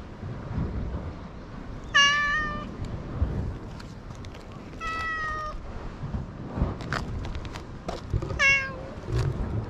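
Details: Outdoor community cat on an island, captured with a GoPro HERO8, meows three times at intervals of about three seconds, each call bright and slightly falling, with scattered clicks and a low rumbling background.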